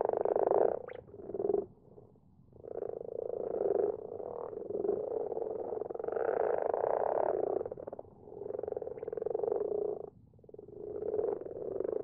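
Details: Common frogs in a garden pond after dark, a group that grows every year, producing low rolling purrs and grunts in overlapping bouts, loud at the start, briefly dipping, then building again.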